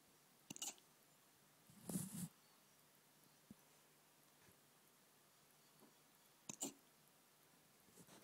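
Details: A 12-week-old Rottweiler puppy, falling asleep, hiccups in short, soft jerky bursts separated by several seconds of quiet.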